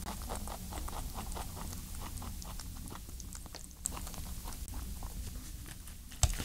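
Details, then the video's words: Ayin, a pet rabbit, eating with chewing and licking sounds: a steady run of soft, muffled crunching ticks at a quick pace over a low rumbling background, ending in a sharper knock. "What a Rabbit Licking Sounds like?"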